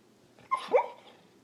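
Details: Dreaming puppy giving two soft muffled yips in its sleep, short high whimpering barks close together in a quiet room.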